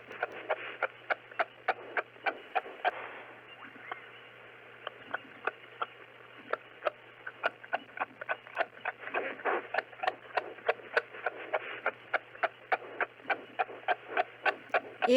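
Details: Long run of kangaroo clucks: sharp clicking pulses repeated roughly three times a second for fifteen seconds, pausing briefly early on before resuming, with a soft steady hum beneath.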